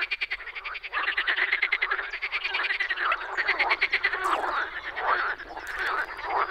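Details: Spring frog chorus from the Czech Republic, many animals croaking together in rapid buzzy rattles that pulse and overlap continuously, with louder bursts standing out near the middle and end.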